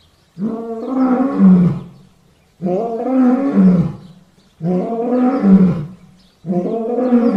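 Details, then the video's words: Lion producing four drawn-out, moaning, harmonic roars of similar shape, each about one and a half seconds long and repeated every two seconds, rising and then falling in pitch. "sounds of lions"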